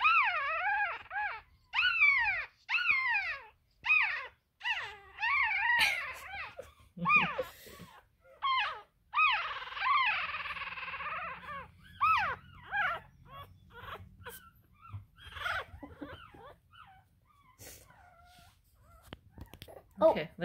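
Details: One-week-old Russian Toy puppy, Poppy, beside her mother Feather, giving a rapid series of high, whining whimpers that arch and fall, some drawn out and wavering, with brief pauses and soft rustling between cries.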